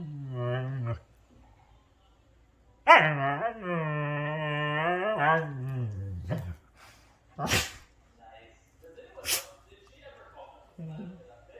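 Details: Huskies play fighting, giving long wavering howl-like vocal moans rich in harmonics, one short then one sustained for about three seconds, followed by sharp noises and a brief final whine.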